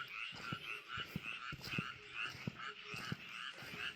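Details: Frogs croaking in a rice paddy: a dense chorus of pulsed, rattling croaks in two bright bands, swelling and fading roughly every half second, with scattered low knocks and thumps underneath.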